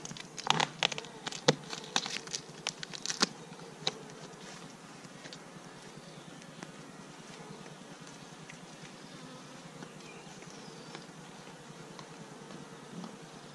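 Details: Western honey bees buzzing around a hive on release day, after 24 hours confined on the hive base, letting them out to get their bearings; sharp clicks and taps early on.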